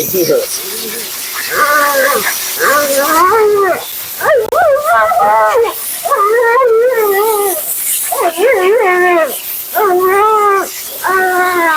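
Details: Dramatic, vocal Siberian Husky Mila protesting her grooming session: a rapid series of short warbling 'woo-woo' yowls, about a dozen bursts with brief gaps, against a constant rush of water or air.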